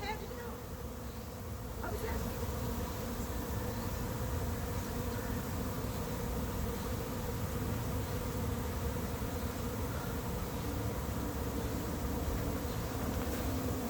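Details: Late-season honey bee swarm moving into an empty, still unprepared hive in 2021: a dense, steady, low droning hum with a strong steady pitch band, the mass of wingbeats continuous throughout and no other clear sounds.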